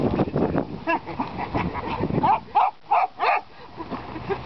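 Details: Polish Lowland Sheepdogs: after a stretch of mixed voices and noise, a dog gives a quick series of four sharp, ringing barks, each under half a second, then quieter sounds trail off.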